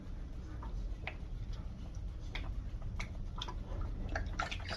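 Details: Quiet indoor room with faint drips, small clicks and licking or smacking sounds over a low background hum.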